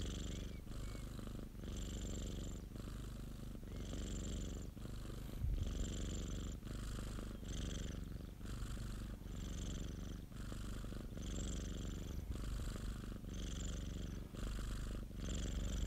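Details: Steady purring from Popo, a pet cat, as a deep rumbling drone broken into regular breaths roughly once per second, each inhale and exhale phase alternating with a slight hiss on top.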